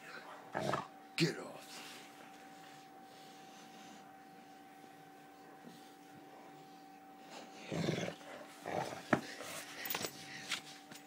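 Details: Rhodesian Ridgeback named Sam at play indoors at work, mouthing a person's arm: short harsh growly bursts early on and a rougher cluster later, with talking and a steady electrical hum behind.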